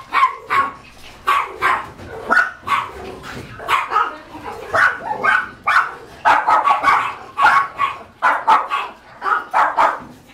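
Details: Boxer, Retriever and Border Collie mix puppies barking: a busy overlapping stream of short, high yappy barks and yips, several pups calling at once, roughly one burst per second with irregular spacing.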